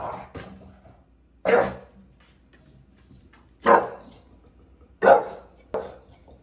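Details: Bulldog barking at a gate in New York City; single sharp, loud barks spaced one to two seconds apart, five in all, with a quiet room behind.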